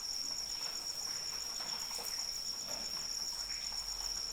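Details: Continuous shrill cricket trill carrying over light rainfall, the high steady note pulsing quickly and evenly, with soft patter and occasional drops below.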